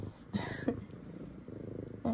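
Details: Indoor female F2 Savannah cat happy her owners are home from work, a steady rumbling purr with two short chirping meows and a woman's voice.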